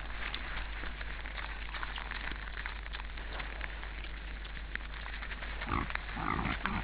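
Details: An Estonian forest camera on 15 January 2013 at 17:01 records several wild boars running around in chaos, grunting and squealing amid a rustling, noisy background.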